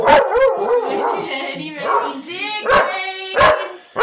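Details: Two working Cocker Spaniels howl along to "Rudolph the Red-Nosed Reindeer" at Christmastime, with wavering, sliding tones broken by sharp yips.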